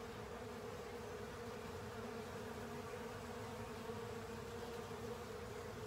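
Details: Many honey bees and companions cleaning a honey filter, giving an unbroken layered buzz, a dense low hum with a bright steady tone just above, even in loudness from start to end.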